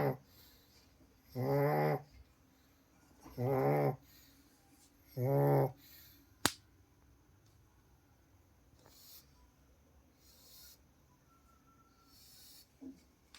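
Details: Pug snoring, three loud buzzy rasping snores about two seconds apart, then a sharp click followed by quiet room sounds and faint rustling.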